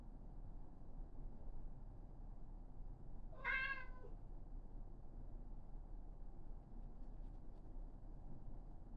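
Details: Karen, a female Somali cat born November 2021, waiting outside the toilet, gives a single short meow of under a second, bright and slightly rising then falling, against a steady low indoor rumble.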